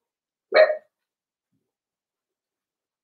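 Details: A young Cavalier King Charles Spaniel from a blenheim litter of five gives one sharp, bright bark in an indoor puppy pen. Silence follows, then the start of another sound at the very end.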